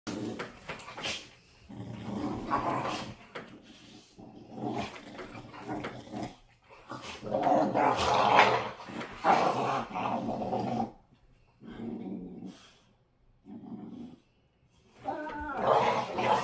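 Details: American Pit Bull Terrier puppies play-wrestling indoors, a young puppy still with baby teeth against an older rescue pit bull; rough, raspy growls and snarls in bursts of one to three seconds, with brief quiet gaps and snapping noises.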